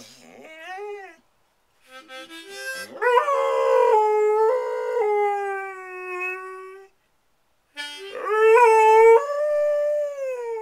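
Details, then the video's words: Squirt, a pet dog, sings the blues along to a harmonica: drawn-out tonal howls that hold steady, then bend and waver, in long phrases broken by short pauses, tangled with the harmonica's reedy notes. "Dog sings the blues to a harmonica"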